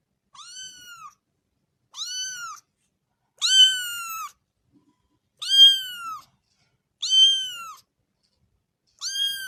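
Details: Small kitten at play beside its mother gives a series of six high, arched mews about every 1.5 seconds. The calls grow louder midway, with quiet gaps between them.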